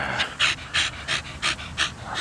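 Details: Rapid, raspy panting from Donut, a 13-year-old Staffordshire Bull Terrier cross, with about six loud breathy bursts in quick, even succession.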